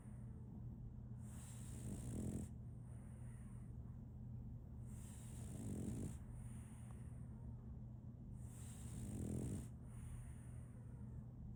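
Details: Solaimy, a sleeping female French Bulldog puppy, snores in a slow rhythm: three throaty, rattling inhalations roughly every three to four seconds, separated by quiet pauses, over a faint continuous hum.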